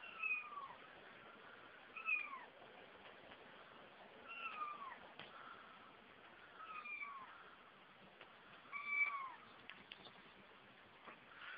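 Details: Kitten mewing in short, high, slightly bending calls, roughly every two to three seconds, over a quiet background hiss.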